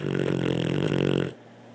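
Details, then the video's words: Blue the dog giving a single loud, vibrating, throaty snore that rattles for over a second before breaking off into quiet indoor background. "Blue snoring"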